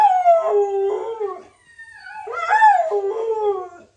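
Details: Two brief, falling howl-like cries from a puppy, each opening higher and settling lower, with a short quiet gap between them.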